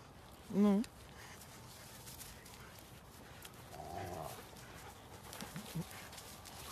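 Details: Belgian Malinois (Canis familiaris), bark.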